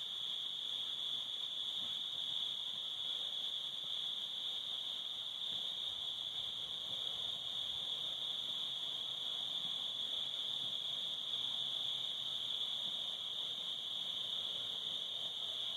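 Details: Crickets calling at a cabin on a summer evening at sunset near a fire: one continuous, shrill, even-pitched ringing trill that never pauses, with only a soft low background hum.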